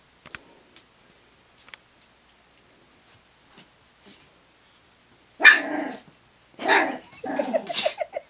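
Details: Cairn terrier puppies at play: after quiet clicks and scuffling, a burst of harsh, noisy yaps and growly barks from about five and a half seconds, then two more loud rough bursts with a high squeal near the end.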